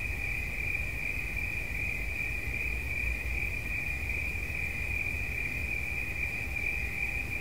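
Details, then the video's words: Cricket sound as one sustained high buzzing trill without pauses, accompanied by dull low-frequency rumble. "Świerszcz. Dźwięki relaksacyjne"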